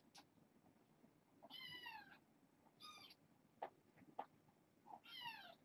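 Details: Young foster kittens settling for bedtime, litter born August 29th and recently brought in through Purrfect Pals; three bright, wavering meows about a second apart, with small taps and rustles between calls.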